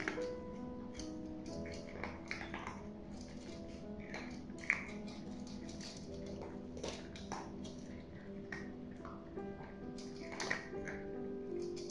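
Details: Gentle background music with soft clicks and crunchy taps, and no animal calls. No animal voice stands out.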